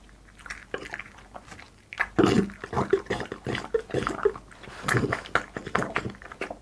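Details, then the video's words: A French Bulldog named Boss eats in a small room for an ASMR mukbang. After a quiet opening second, bursts of crunchy bites and lip-smacking clicks follow one another at an uneven pace. "ASMR MUKBANG BOSS FRENCH BULLDOG EATING"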